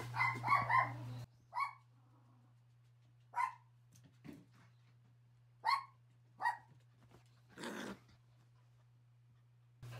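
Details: Toy Poodles on a hot summer day: mother Anton with four-and-a-half-month-old puppies Peach and Tabasco, lounging together. High, sharp yapping barks come singly or in pairs every second or two, over a steady low electrical hum.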